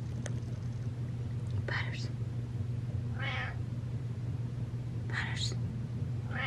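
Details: A domestic cat walks up and meows: four short, tonal, slightly falling meows spaced one to two seconds apart, over a steady low indoor hum, with a person's brief spoken words near the start.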